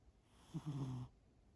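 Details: Sleeping cat named Shimao snoring: one low, rough, droning snore of about half a second, starting with a short catch and then a steady buzzy tone, in a quiet room.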